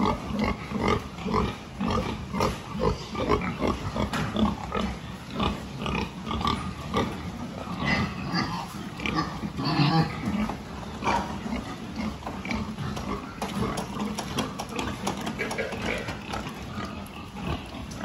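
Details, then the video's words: Farm pigs under a health check, 26 October 2023: dense, continuous low grunting and snuffling from several animals, with bursts of louder squeals and knocking pen noises throughout. "Pig health check"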